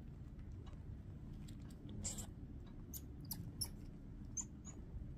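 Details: A baby red-handed (Midas) tamarin eating a treat gives thin, very high-pitched chirps and squeaks in short scattered bursts.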